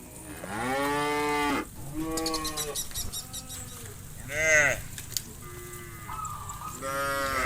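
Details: A large herd of tame farm cows heading back to the pen at dusk across a vast pasture. Several overlapping moos, one long and steady, others arching and rising then falling, with some higher-pitched calls mixed in.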